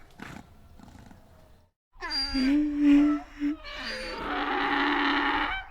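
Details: A donkey (Equus asinus) brays loudly, a harsh call swinging between a tonal, harmonic note and a rougher, noisier one.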